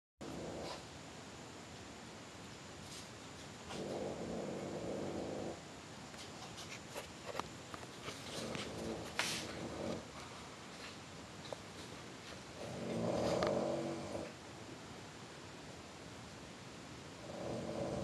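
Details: {'caption': 'Cat called GreatGrandPa purring quietly indoors, soft low rumbling bouts of a second or two separated by long pauses, with scattered faint clicks and rustles in between.'}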